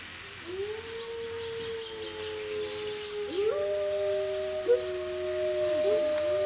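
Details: Group howl of wolves at Monde Sauvage as people join in. Several steady, long-held tones overlap, with new voices rising in partway through and forming a sustained harmony. A brief sharp noise interrupts once.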